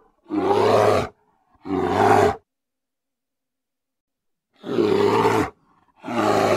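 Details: ['Grizzly bear noises: two harsh, gravelly roars close together, a long silent pause, then two more loud roars.']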